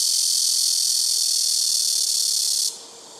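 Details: Blackish cicadas shrilling noisily from trees on a home rooftop, a steady high electric buzz that cuts off abruptly near the end, leaving quiet background.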